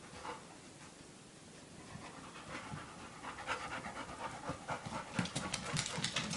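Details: Three-month-old Labrador puppy Blu, excited by his first sight of himself in a mirror and playing alongside his aunt Maya; soft rustling gives way midway to fast, rhythmic, rasping pants that steadily gain in loudness.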